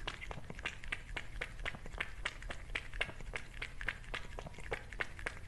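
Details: Close-miked cat eating a meal: crisp crunching clicks repeat about four times a second over a steady low hum, with soft indoor background.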